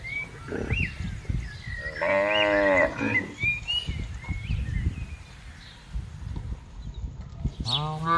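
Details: Cows roaming freely while being herded through a vast palm oil plantation; one cow gives a long, deep moo, with a second moo starting near the end.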